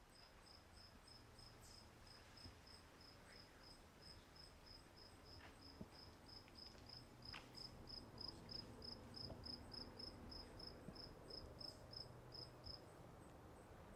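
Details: Crickets at Walden Pond: a high, thin chirp pulsed steadily about three times per second for most of the clip, over a soft, broad rustling background with a few faint clicks.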